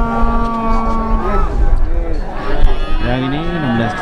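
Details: Calves at the Plaosan cattle market in Magetan, East Java, Indonesia: a long, steady low moo that bends downward near its end, then after a pause a shorter falling moo, with traders talking and market bustle throughout.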